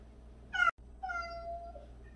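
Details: Domestic cat, one of 76 cats living together: two clear harmonic meows, a short bright one followed after a brief gap by a longer, level, slightly falling mew, with a faint third call at the end; low room hum beneath.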